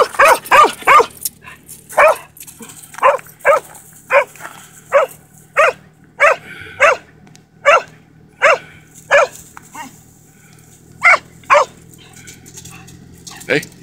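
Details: Pet dog sharing its excitement before a run with backtalk: a steady series of short sharp barks and yips, roughly one every half second to second, with a few pauses and faint background hum.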